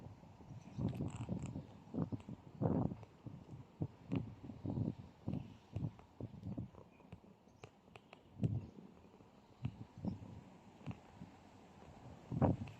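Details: Cat called Beauty coughing: a string of short, low, husky bursts, some single and some in quick pairs, spread irregularly over about thirteen seconds with brief quiet gaps between fits.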